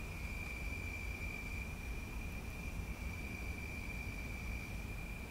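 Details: At night, crickets in a tree give a steady, unbroken high trill over a low background rumble, with dogs barking faintly.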